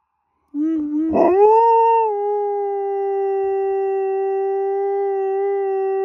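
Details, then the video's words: Pet dog, a female, wailing along with a fire truck: a short low note, a rough break, then a rising howl that settles into a long, very steady, pure-toned sustained note. "Dog has a good old howl at a fire truck"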